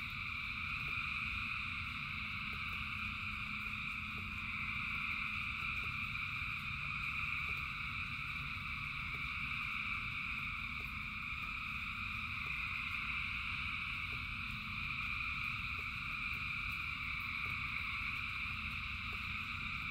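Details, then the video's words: Thousands of frogs singing in rain: a dense, unbroken chorus of overlapping trilling calls forming steady high layered tones, with a low rumble of rainfall and scattered drip clicks underneath. "Frogs in Rain 2 Hours of Frogs, Thousands of Frogs Singing"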